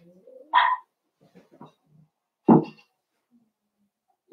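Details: Cavalier King Charles Spaniel puppies of the blenheim colour play with their mama: a bright harmonic bark, some soft grumbling noises, then a deeper, harsher bark two seconds later.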